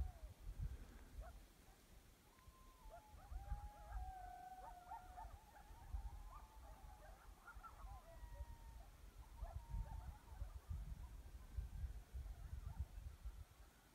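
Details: Coyote. Several coyotes chorus at once, mixing short yelps with long quavering howls that rise, hold and fall in overlapping lines. A steady low rumble, like wind or distant traffic, runs beneath the voices.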